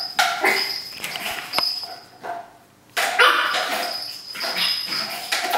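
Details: A three-month-old pug puppy named Cookie goes wild with a paper towel roll, giving sharp squeaky yips and whimpering bursts in quick succession, broken by one brief pause, with paper rustling underneath.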